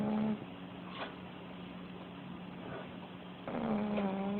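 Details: Pugly the puggle sleeps with her head up after tiring herself out playing, snoring loudly. A harsh, rattling snore opens the clip and a second buzzy, wavering breath returns near the end, with a constant low hum between them.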